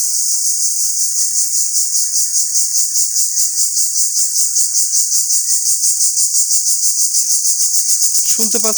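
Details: A cricket-like insect, locally called jhijhi poka, gives a loud, continuous high-pitched shrill trill, pulsing steadily, in a Bangladeshi village on 30 March 2024; it calls loudly by day, especially in sunshine, not at night.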